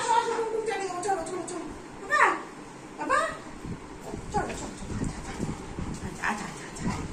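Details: A Golden Retriever whining after not seeing her owner all day: high, drawn-out whimpers and sliding whines come in bursts, mixed with a woman speaking Bengali as she tries to calm the excited dog.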